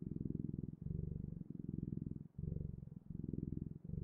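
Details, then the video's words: Close, low rumbling purr of a cat, pulsing in rhythmic inhale and exhale segments under a second long, with soft dips between breaths and nothing else audible. "Purring Clouds: The Best, Ultimate, and Magical Sounds of Cat's Purring"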